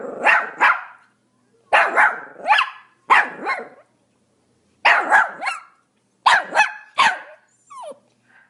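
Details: Pomeranian dog barking: sharp high yappy barks in quick pairs and triplets, bursts separated by short silences, ending with a brief whine.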